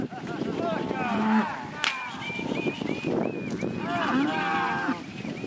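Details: Angus and Red Angus heifers and cows with some Jersey and crosses calling in a herd: a few overlapping moos, one sharp knock midway, and a string of short chirps repeating above the lowing.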